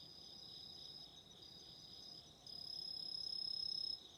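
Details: Chorus of autumn insects, a level high shrill hum overlaid midway by a louder, closer insect giving a rapid pulsed trill that swells for about a second and a half before stopping.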